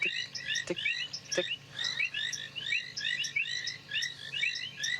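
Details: Painted reed frogs call in a dense evening chorus in the African bush after rain on 23 February, giving brief, high, ticking chirps that overlap into a shrill pulsing wash to attract mates; a few sharp clicks break through.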